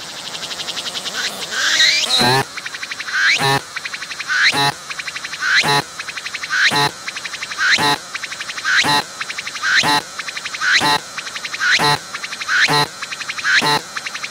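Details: A singing cicada recorded at close range on a tree, its abdomen pumping as it calls: a pulsed buzzing phrase rises into a whining sweep and ends in a harsh burst, repeated about once a second.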